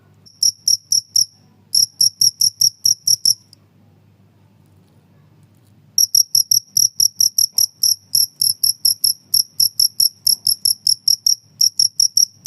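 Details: Cricket recording meant to drive off house mice and to tutor songbirds: rapid high, ringing chirps in quick regular pulse trains, pausing for about two seconds in the middle before resuming steadily, with a faint low hum underneath.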